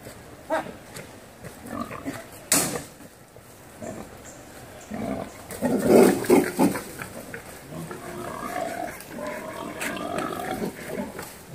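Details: Wild boar while mating, uttering short rough grunts in quick irregular series, several a second at times, with a loud cluster of grunts in the middle and quieter snuffling between.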